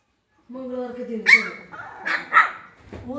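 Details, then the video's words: Twenty-one-day-old Siberian Husky puppies barking and fighting together: a wavering, nasal whine that breaks into sharp high yelps, several in quick succession. "21 days cute husky puppies barking & fighting together"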